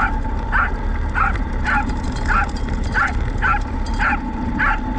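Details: Pet Corgi Roku yaps during a trial of a radio-controlled car pulling a field cart, November 2019. About seven short, high barks come in quick succession against a constant motor whine and low rumbling noise.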